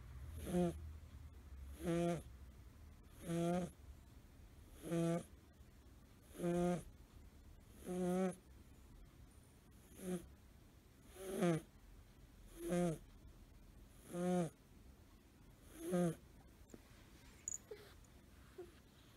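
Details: Suzu, a five-month-old blue tabby American Shorthair tomcat kitten, sleeps curled and snores, a sound he does not make lying stretched out. About twelve regular, buzzy harmonic snores arrive every second and a half, then fade and stop near the end.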